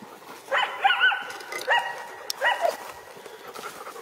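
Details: Coyotes howling outdoors as they trail a person walking dogs: quavering, high howls mixed with quick yipping notes in several uneven bursts, then fading away toward the end.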